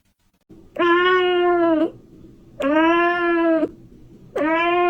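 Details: Kitten giving three long, steady meows of about a second each, evenly spaced and loud, with a low background hum between them.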